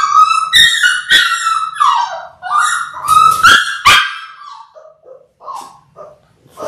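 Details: A litter of six Labrador Retriever puppies in their sixth week, born January 18, 2022, recorded indoors on February 28: loud, drawn-out whines broken by sharp yelps, then fading to short, softer whimpers with quiet gaps between.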